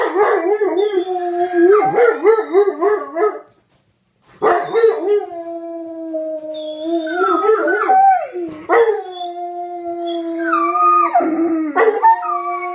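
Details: Pair of male dogs, one old and one young, howling mating calls to a female in heat: wobbling, quavering howls, a short pause, then long level howls overlaid by rising yips and breaks from the second dog.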